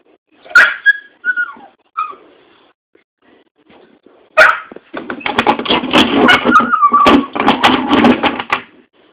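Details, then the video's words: Dog making funny sounds: a few short high whimpering yelps with gaps, then after a pause a dense burst of rapid noisy yaps and barking lasting about four seconds. "Dog doing funny sounds"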